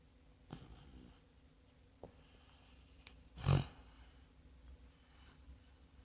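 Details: A sleeping sand-coloured Labrador Retriever gives soft, low snores and breathy snorts in a quiet room.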